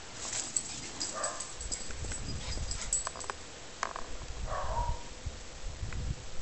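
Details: Dogs at play, with brief whimpering yelps and low rumbling, snuffling sounds against a constant noisy background.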